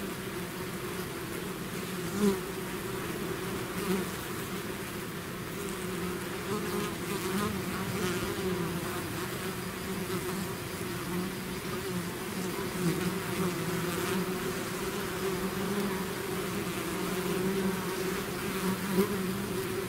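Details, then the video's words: Bee swarm out of its hive, a dense continuous buzzing of many insects with a steady low drone and overtone, level and unbroken throughout, with faint individual bees passing close now and then. "bees therapy swarm natural buzzing sound"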